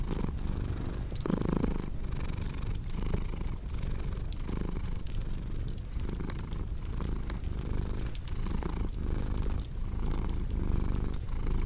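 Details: A cat purrs deeply and evenly, its rumble pulsing in regular breath cycles about once a second, while a crackling fireplace adds frequent bright pops and ticks in the background.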